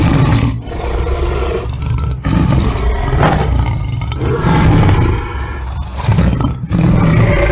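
A lion gives a series of powerful, deep roars, each a sustained low rumble with short pauses between. The sound is heavy and resonant, carried almost entirely in the bass.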